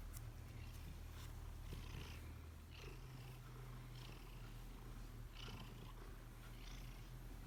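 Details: Fifteen-year-old Bengal cat purring while playing: a steady low rumbling purr throughout, with soft rustling and scraping sounds above it.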